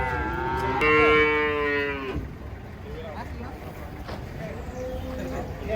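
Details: A giant cow unloading from a truck gives a single clear moo lasting just over a second, steady in pitch and rich in harmonics. Quieter rustling, faint voices and vehicle noise follow.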